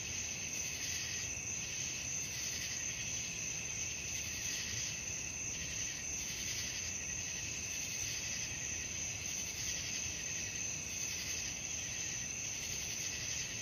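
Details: Night crickets form an unbroken high, shrill chorus, layered trills holding steady throughout with soft rhythmic pulses recurring about every second, over a quiet low background.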